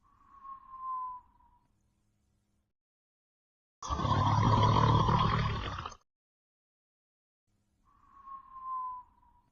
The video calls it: Redbone Coonhound Sleeping, Snoring & Whistling in 31 seconds